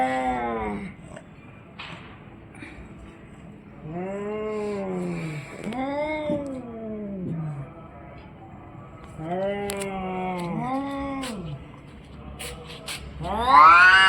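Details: Orange and white domestic cat making a run of short, wavering meows, some bending up and down in pitch, in quick pairs with brief gaps, ending in a louder, higher rising meow; faint background clatter.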